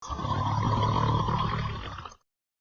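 A sleeping Redbone Coonhound lets out a single drawn-out snore, a low, gravelly rumble lasting about two seconds. A thin, steady whistle rides over the rasp before the breath cuts off.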